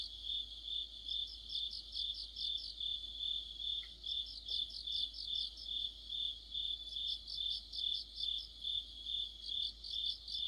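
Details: An autumn insect chorus led by crickets. A continuous shrill trill runs throughout, with rhythmic chirping bursts swelling roughly twice per second and a brief faint tick midway.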